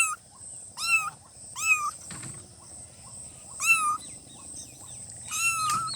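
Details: Newborn kittens giving high, thin mews in quick succession, roughly five calls in six seconds with brief soft squeaks between; a short low thump near the middle and a steady hiss in the background.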